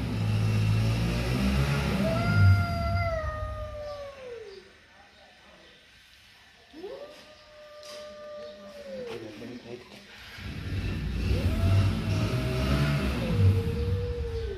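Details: Angry mother cat and kitten: a series of three long, drawn yowls, each held steady and then sliding downward, separated by quieter pauses, with low rumbling noise beneath the louder calls.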